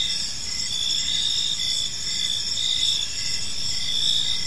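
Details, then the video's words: Park crickets at evening, a constant high shimmering trill with short repeated chirp pulses underneath, multiple insects overlapping, soft low-frequency background noise throughout. "Cricket Sounds in a Peaceful Park | Evening Ambience"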